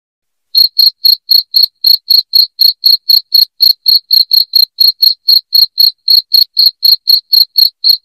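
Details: After a half-second of quiet, a cricket starts chirping loudly and steadily, bright piercing pulses at about four per second, part of a track for chasing rats out of a home.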